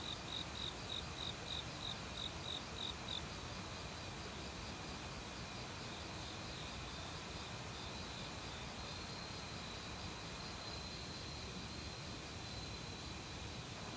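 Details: Autumn crickets in a forest beside a mountain stream give a run of rapid high chirps about three per second for three seconds, then a steady thin ringing trill, over a constant broadband rush of flowing water.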